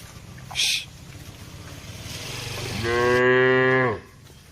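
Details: Grazing herd of tame cattle on wide pasture; after a brief click and low rumbling background, one steady moo rises and holds for about a second before dropping off.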